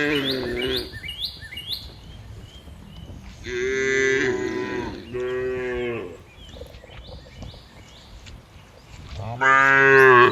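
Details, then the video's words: Several cows walking and grazing through green fields, giving long, loud, harmonic moos, some rising then falling, spaced a few seconds apart, with quick bird chirps between them. "Funny Cow Sounds Cows Walking Through Green Fields - the sound of cows in the middle of the fields"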